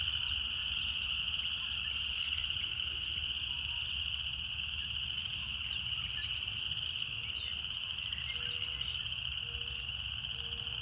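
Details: Cicadas produce a strong, unvarying high-pitched drone with faint ticks and clicks above it, and a few brief low notes appear toward the end over a soft low rumble.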